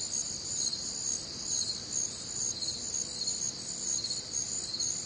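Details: A warm, humid Midwestern summer night filled with crickets: dense, piercing chirps from many callers blending into a shimmering wall of sound that swells and dips gently, with a quiet background murmur.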